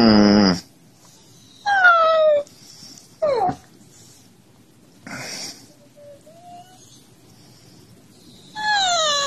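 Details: Siberian Husky calling to wake its owner, possibly out of hunger: a series of short, wavering, strongly harmonic whines and yowls, some sliding downward, separated by quiet pauses, in a small room.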